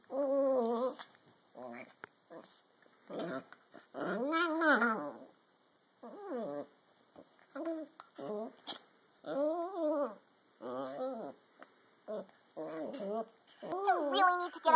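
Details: Squeaky, rising-and-falling growls and whines come in bursts every second or two as a Dachshund and a Toy Fox Terrier play wrestle, with breaks of near silence between the scuffles.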